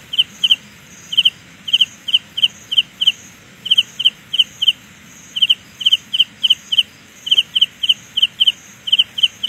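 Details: Carolina ground cricket producing a sound illusion, high clipped chirps delivered in short bursts of three to five separated by brief pauses, with a faint upper-pitched pulsing layer.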